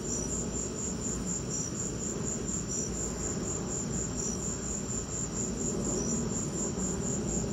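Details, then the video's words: Crickets sing during a lightning storm, their thin, high chirps pulsing evenly while a heavier low rumble and hiss fill the lower range. "Lightning and crickets!"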